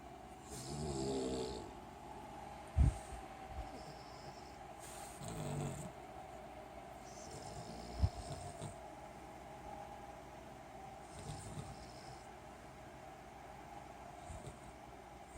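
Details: Cavalier King Charles Spaniel pups sleeping in their crate snore, low rumbling breaths repeating every few seconds.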